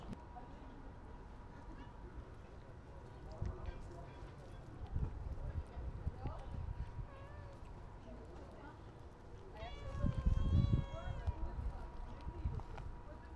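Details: Stray cats being fed outdoors; one clear drawn-out meow with rich stacked harmonics rises and falls near the end, preceded by scattered softer sounds and clicks over a steady low rumble and a faint constant tone.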